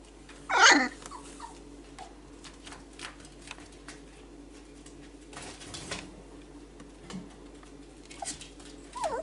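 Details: Four-week-old Whippet pup Kestrel, a boy, tries out his voice: one loud, strained yelp near the start, a long quiet stretch with faint rustling, then a rising whine closing the recording.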